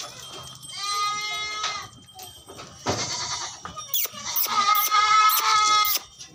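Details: Barbari goats at a farm in Etawah, Uttar Pradesh: nasal, quavering bleats from more than one animal, one drawn out and another broken into rapid pulses, amid farmyard clatter.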